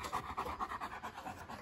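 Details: Young male East European Shepherd indoors at a house he is visiting, giving a short burst of quick, rhythmic panting breaths.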